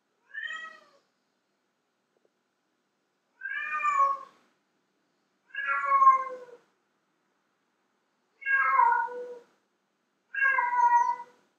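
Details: A female house cat calls to attract male cats, giving five drawn-out meows with rich harmonics and a downward slide, the first short and soft, the rest longer, separated by clean pauses.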